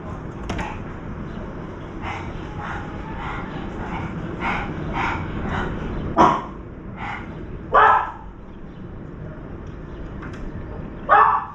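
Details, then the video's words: A puppy barking near a veranda where wild birds and crows come to feed: scattered sharp yapping barks, a few louder ones standing out over steady background noise. "강아지 짓는 소리"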